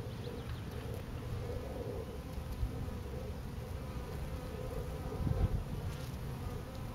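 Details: Bees swarming on a pine tree, a dense steady low hum of many wings that holds unbroken throughout, with a few soft thumps partway through.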